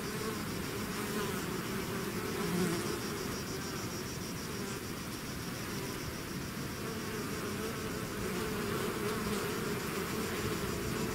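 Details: Bees swarming out of their hive produce a thick continuous hum, many overlapping buzzing wings forming a low droning band with faint higher shimmer, steady in loudness throughout.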